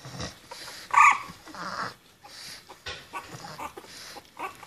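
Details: Litter of 21-day-old puppies born 14 October 2014: a single sharp, high-pitched squeal with bright overtones about one second in, amid soft scattered whimpers, rustling and handling noises.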